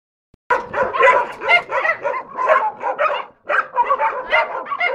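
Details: Chico, a shy eight-year-old castrated male dog, barks within the group so they know he's there; dense, sharp overlapping barks start after half a second and run almost without pause, with one brief gap near three and a half seconds.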